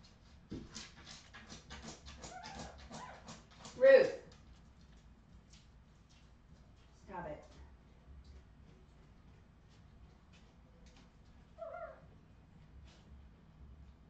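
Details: Redwing Australian Terrier puppies, 2018: a series of soft ticking taps, then one loud short yelp near four seconds, followed by two briefer, quieter whimpers spaced several seconds apart against a low background hum.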